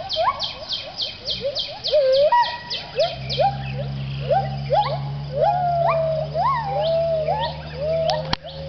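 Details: Gibbons at a Thai wildlife rescue centre sing their dawn chorus around 6am at sunrise, overlapping whooping notes that swoop up and down, backed by insect buzzing.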